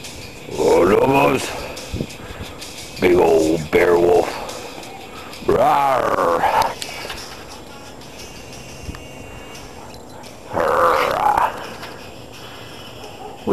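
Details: About ten years old and rescued, the still-active Husky Lobo gives four loud, warbling, yodel-like howls spaced a few seconds apart, each sliding and wavering, between a person's soft chatter to the dogs.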